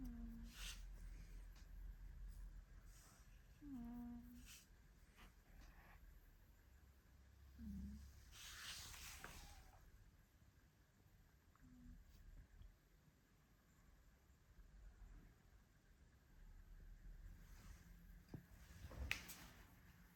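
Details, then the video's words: Django, a sleeping Maine Coon curled on a hand-shaped armchair on a Monday morning, snores quietly: deep, throaty, irregular breaths, punctuated by short squeaky whistles and occasional soft rustling in a small room. "Gatto che Dorme e Russa (Maine Coon Sleeping and Snoring)"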